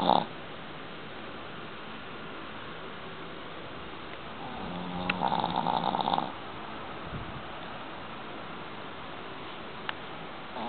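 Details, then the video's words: A sleeping Boston Terrier lets out a single drawn-out snore, a low buzzy rasp lasting over a second, set in a quiet room's steady hiss with one faint click near the end. "boston terrier sleeping and snoring"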